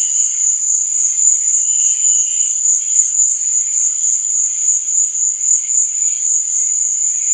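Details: Crickets at night keep up an even, high shrill trill without pause, while fainter, lower chirps rise and fade in the background.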